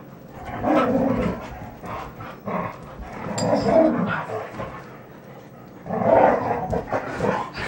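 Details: Rough play among three red Standard Poodles named Betty Jo, Jenny and Cayenne; throaty, rumbling growls rise in three distinct swells, separated by quieter scuffling moments.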